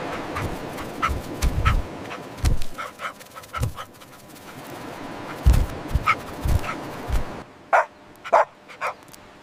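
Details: Puppies at play on fresh green grass, running, jumping and play-fighting; a few short, sharp barks burst out among heavy low thumping and rustling from movement, with quieter stretches between.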